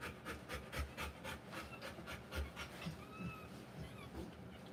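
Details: Rapid, rasping panting from a Rottweiler in labour with puppies, about four breaths per second at first, then fading out and giving way to faint, thin high squeaks.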